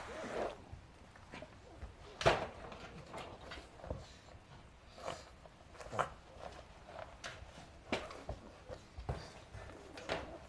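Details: Adina, a five-month-old female pug puppy, indoors around 4pm on May 9, 2012, after running around wildly; short snorting, wheezy breaths repeat roughly every second, with a sharp loud burst near two seconds.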